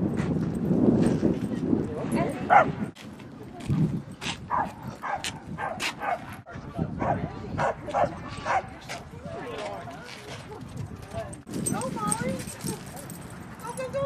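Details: Dogs at play at Seal Point Dog Park on the western side of San Francisco Bay, June 13, 2015, with Rosy and Rocky: a run of sharp, rapid barks through the middle section, with people talking throughout.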